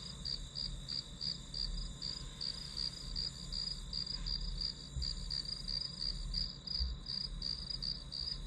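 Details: Grass insects heard as background white noise for studying: a high, bright chirping pulses steadily, nearly three pulses a second, above a constant thin high whine, with a soft low rumble underneath.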